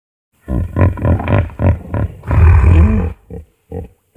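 A hippopotamus gives a rapid run of deep, throaty grunts, about four a second, swelling into a longer rumbling bellow and then trailing off in a few short huffs.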